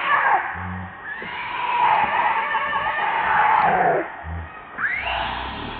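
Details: Baby monkey named Leo crying loudly and pitifully, hungry and begging its mother for milk: long, wavering, high whining cries drawn out over several seconds, with a short break and a sharp rising cry near the end, plus faint low hum.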